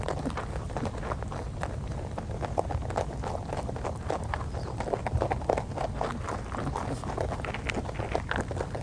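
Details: A rabbit on Okunoshima (Rabbit Island), Hiroshima, Japan, chews steadily, a fast run of soft crunchy clicks close to the ear.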